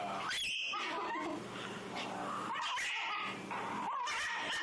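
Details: Female Shih Tzu protesting being brushed: continuous snarling growls mixed with shrill, wavering squeals in uneven rapid bursts, with brief speech from a person nearby.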